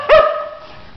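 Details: Tantrum from Malibu, a new female husky who doesn't want to get out of bed: a single sharp yelp-like onset sliding into a steady, held whine that fades out.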